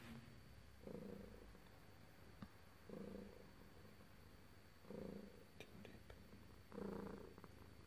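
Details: Domestic cat purring while being petted indoors; soft low rumbling swells arrive roughly every two seconds, four in all, with faint clicks between them.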